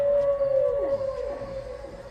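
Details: Humpback whale recording played at the La Caixa exhibit 'Érase una vez El Habla', a sound humpbacks use to communicate; a long steady mid-pitched tonal moan with faint descending sweeps sliding down beneath it.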